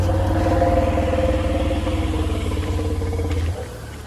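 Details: A motor rumbles under a person talking, and the engine noise fades just before the end.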